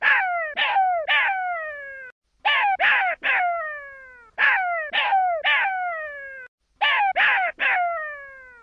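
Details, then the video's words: Young jackal giving rapid clusters of two to four sharp, descending, wailing yelps, each with a falling tail, separated by brief pauses; no other sounds. "Sonido de Bebe Chacal - jackal baby"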